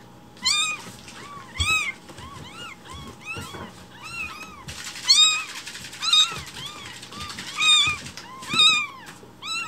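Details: Hungry rescued baby kittens calling loudly for breakfast milk in the morning, several voices crying in a near-continuous chorus of high, arching meows, some overlapping, roughly one per second, against a low indoor hum.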